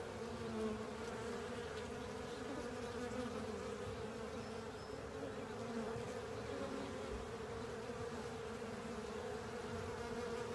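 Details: Honey bees and other insects cleaning up a honey filter; a dense, steady, low humming buzz from many wings runs unbroken throughout, with layered tones and no clear pauses.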